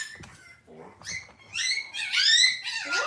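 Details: Cavalier King Charles Spaniel puppies indoors on a kitchen camera on a cloudy Monday morning: thin, high squeaky whines rising and falling, building into a louder run of bright, strained squeals toward the end.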